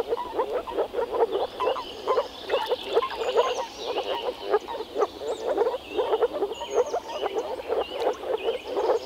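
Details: Male moor frogs (Rana arvalis) gathered in a small forest pond in early spring to mate give soft, bubbling croaks from their vocal sacs in quick pulsed bursts, with many callers overlapping.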